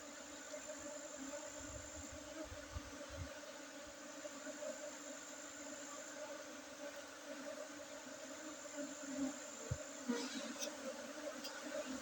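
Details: Buzzing honey bees during a harvest on 5 June 2023 in Bener Meriah, Aceh, Indonesia, within Gayo Arabica coffee gardens: an even low hum under broad hiss, with a brief clatter near the end.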